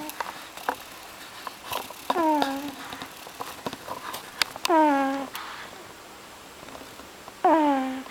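A sleeping pug snores in whistling, falling tones, one with each breath every few seconds.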